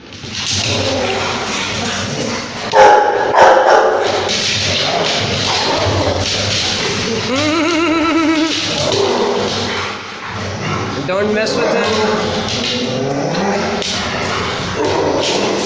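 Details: Dog fighting with two Rottweilers: rough, irregular barks and strained harmonic yelps and growls rise and fall through a dense, noisy scuffle, with human voices underneath.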